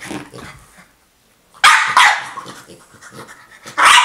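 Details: French Bulldog (Canis lupus familiaris), demand bark: demanding her toy.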